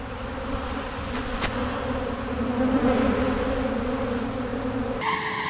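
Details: A crowd of honey bees devouring honey from wax cappings after a harvest; a thick, continuous drone that swells slightly midway, with a sharp click near the start and a different tonal sound cutting in at the end.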